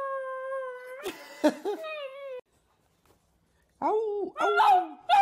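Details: Puppy howling: a steady held tone for two seconds broken by sharp noisy bursts, a pause of silence, then arching whiny howls rising and falling.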